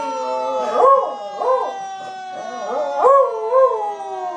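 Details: Beagle named Lily howling in response to a fire truck siren: rising-and-falling wavering howls, about four bursts in four seconds, over the steady sustained tone of the siren.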